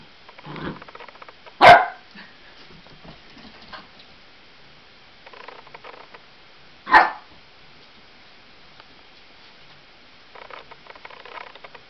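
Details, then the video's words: Eight-week-old Lab cross Australian Blue Heeler puppy barking at balloons it fears: two sharp, loud barks about five seconds apart, with quieter yelps and shuffling in between. "Puppy Afraid of Balloons"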